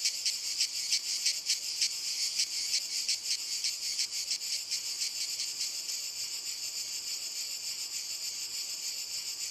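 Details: Cicadas chorusing on walnut trees, the shrill high buzz strongly pulsed for the first three seconds, then the beats soften and merge into an even, continuous hiss.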